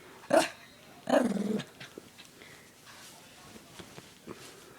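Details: Friend's pet dog reacting to a dog whistle pitched higher than humans can hear: two sharp barks, the second running into a short rumbling growl, then quiet shuffling noises.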